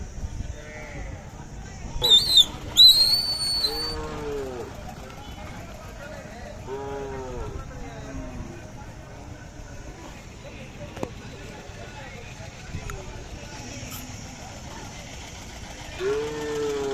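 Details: Khillar cows at the Sangola cattle market on 12 May 2024: several drawn-out, arching moos near 4, 7 and 16 seconds, a shrill whistle around 2 seconds, and steady crowd chatter throughout.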